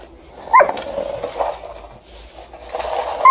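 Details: A female Alaskan Malamute on a December night after fresh snow gives short, yelping barks and whining yowls, vocally objecting to snow being shoveled.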